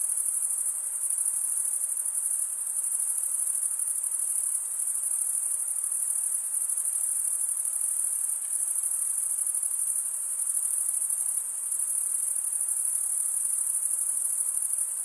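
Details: Crickets chirping by stridulation, one wing rubbed across the toothed vein of the other, in a steady, very high, shrill continuous trill that barely changes in loudness over fifteen seconds, with a faint soft hiss beneath and no other sounds.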